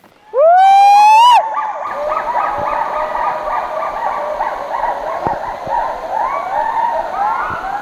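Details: Hoolock gibbons heard suddenly in dense jungle in Lawachara National Park near Sreemangal, Bangladesh, with many animals calling together: a loud rising siren-like whoop, then a dense chorus of overlapping wavering, hooting calls.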